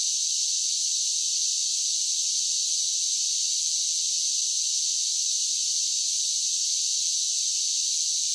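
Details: Unbroken, high, sizzling drone of cicadas singing on a summer day. The level stays even throughout, and nothing else is audible.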